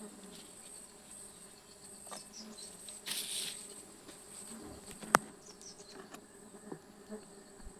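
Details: Stingless bees humming as their honey is harvested on 24 June 2026: a soft, even drone with a faint upper overtone, plus a short hiss of rustling, scattered clicks and one sharp tap.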